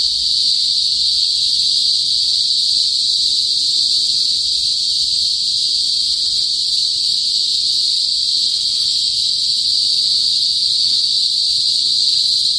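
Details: In a northern Philippine province, cicadas known as kuliglig fill the air before sunset with a loud, unbroken, high-pitched shrilling drone, steady in pitch and volume from start to finish.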